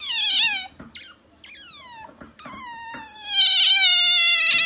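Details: Pet otter making a cat-like noise: loud, harmonic, high-pitched squeals that slide downward, several short ones then a long sustained descending cry ending in a shrill rasping burst.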